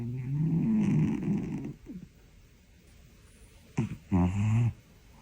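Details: A sleeping Siamese cat snores loudly indoors. A long, low, rough rattling breath is followed by near silence, then a short sharp snort and another brief low rattling snore.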